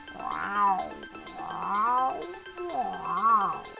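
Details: Puma, described as a skilled hunter able to jump over six meters, screaming: three drawn-out, wavering, meow-like wails about a second apart, each rising then falling, over steady background music.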